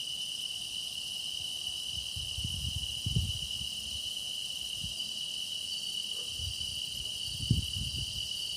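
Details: Continuous shrill song of grass insects, a constant high ringing band with airy overtones. Scattered low thumps and rustles come and go below, with a sharp knock near the end.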